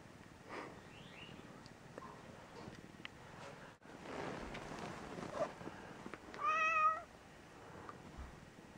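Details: Indoors, an ailing gray tabby female cat, shut in a bathroom for a few days on medication, lets out a single short meow near the end after several seconds of quiet shuffling and faint room noise.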